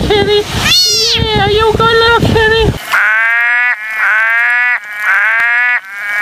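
Frogs give drawn-out, nasal, bleating croaks, each about a second long and repeated steadily.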